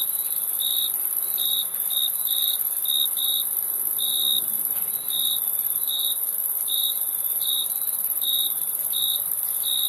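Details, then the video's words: Crickets giving quick, high, ringing chirps at an uneven pace, some in close pairs, about fifteen over ten seconds. A steady shrill hiss sits in the background. "Crickets Chirping Sound"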